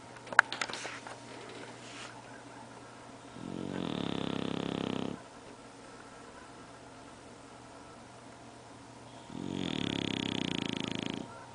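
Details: Bulldog snoring in steady rhythm, two rough, buzzy drawn-out snores of about 1.5 seconds, roughly six seconds apart, with a brief clatter at the start and otherwise near silence between breaths.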